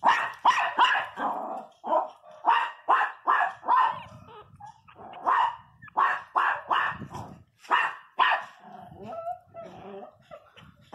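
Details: Young Pinscher puppies, 22 days old, crying loudly: sharp, strained yelps in quick bursts, roughly fifteen over eleven seconds, with fainter whimpers and squeaks between them.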